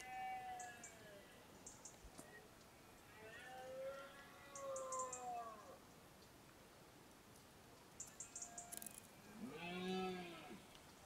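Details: Red deer stags bellow in drawn-out, arching moans ending in a deeper, rougher roar during the September–October rut in the Sierra de Villarrubia, Montes de Toledo.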